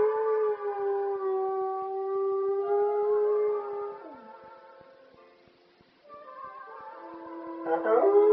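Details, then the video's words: Spliff the dog howls along to ELO's classic song Telephone Line: long, steady mid-pitched tones that hold and bend slightly, blended with the song's music, fading quieter midway before a louder wavering burst at the end. "The dog singing elo"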